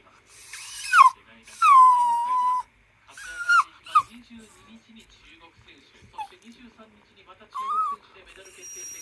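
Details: Worried Toy Poodle Haru 'talking' to its owner while waiting for the father to return late: a series of bent, moaning whines of different lengths, some falling and one sustained, separated by quiet snuffles.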